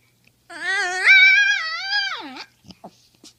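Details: Poodle producing funny noises: one long, loud, nasal whine-howl of almost two seconds, steady then wavering, dropping in pitch at the end, followed by a few soft clicks and snuffles.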